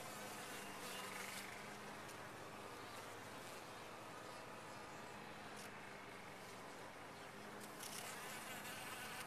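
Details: Steady, unbroken humming of bees in a top-bar hive, with a low buzzy band that swells and fades slightly, and brief hissy rustles now and then.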